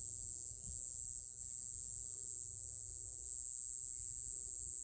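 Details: Okinawan Iwasaki grass cicada, Mogannia minuta, producing a sustained, level, hissing high-pitched tone throughout, with faint low-frequency rumble in the background.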